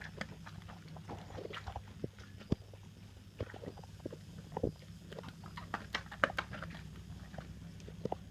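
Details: English Bull Terrier crossed with Rhodesian Ridgeback eating dinner, making chomping noises: irregular wet clicks and crunchy bites come several times a second over a steady low hum.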